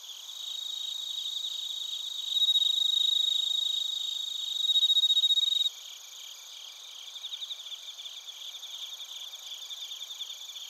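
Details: Crickets and bell crickets in Narita, Chiba, Japan, on a TASCAM Portacapture X8: a loud nearby ringing trill rises in two surges, stops abruptly, then a softer rapid pulsed chirping continues over the background chorus.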